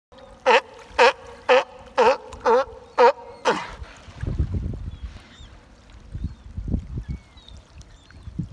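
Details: A sea lion gives a run of loud, hoarse barks, about two per second, then water splashes; recorded 25 October 2018.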